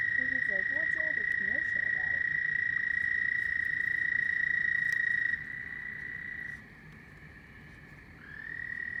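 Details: Frogs at night in a sustained shrill trilling chorus, with a brief man's voice in the first seconds; the trill drops sharply in volume midway, nearly fades, then resumes at a slightly different pitch near the end.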